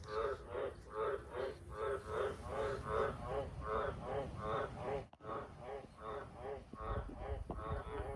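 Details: Australian green tree frogs, wild, near farm sheds at night, giving a rapid regular series of rasping, nasal croaks against a steady low background rumble, with one short dropout partway through.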